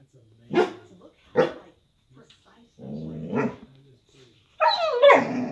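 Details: Woody, a pet dog reacting to something he hears or senses outside the window, gives two sharp barks, then a lower rumbling growl-like sound and a final pair of higher, tonal yelping barks.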